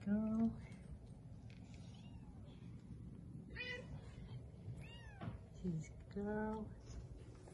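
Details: Three-week-old registered Bengal kittens, born 3-13-20 at a cattery in Kalama, Washington, playing and exploring indoors; several short, high, harmonic-rich meows come in bursts, some rising and falling, over a low background hum with a quiet voice nearby.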